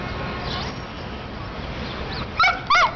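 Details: Dogs at play in a dog run in midtown Manhattan, New York City; two short, sharp, pitched barks close together near the end, after a stretch of steady city hum.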